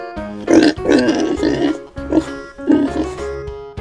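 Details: Pig grunting in a few short, rough bursts: a cluster of grunts early on, then a second group near the end, all over steady background music.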